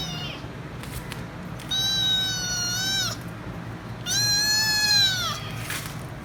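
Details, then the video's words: Demanding kitten wanting head rubs gives two long, loud, sustained meows, each over a second with a gentle pitch arch, separated by a short pause, with faint low background hum and a few clicks. "Noisy Kitten Meowing So Loud & Won't Stop Screaming Until I Give Head Rubs"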